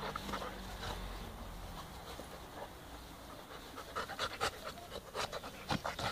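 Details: Brothers Balu and Diesel, two puppies at play, heard as soft hum-backed quiet at first, then sharp, louder breathy pants and huffs clustering in the final seconds.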